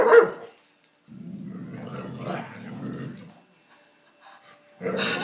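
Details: Playing excitedly with a lamp shade, Layla, a former Palestinian street dog now living in Canada, gives a long, low, pulsing growl lasting about two seconds in a small room, then falls quiet before a short louder noise.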